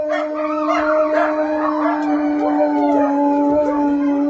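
Several wolfdogs join a wolf in a chorus howl. One long, steady low tone holds throughout while higher voices slide and waver above it, overlapping into a dense, mournful blend.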